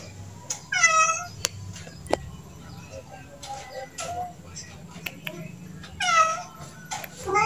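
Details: A cat gives two drawn-out, harmonic meows, one near the start and one near the end, separated by soft clicks, light tapping and a low background hum.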